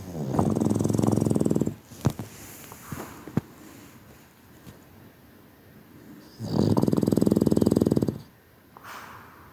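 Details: A sleeping Boston Terrier snoring: two long rattling snores, each about one and a half seconds of rapid vibrating pulses, separated by quiet breathing with a few soft clicks and rustles.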